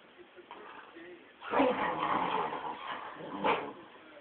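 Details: Mumrik, a Tibetan Terrier, going nuts indoors: after a quiet start, a burst of excited barking and yipping begins near the midpoint, with another sharp yelp near the end, and a person's voice mixed in.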